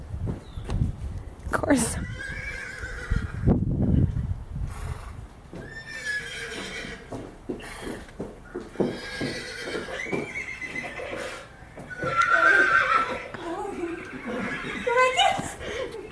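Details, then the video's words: Horses reacting to a horse ringtone alarm sound; repeated harmonic whinnies and snorts with hoof clip-clops, and loud thumps early on, while people talk throughout. "Horses reacting to Horse Ringtone"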